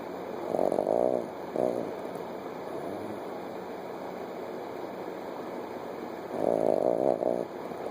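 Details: Sleeping Chihuahua puppy, eyes open, gives two loud buzzy snore bursts, one in the first second and a longer one after six seconds, separated by a soft droning background.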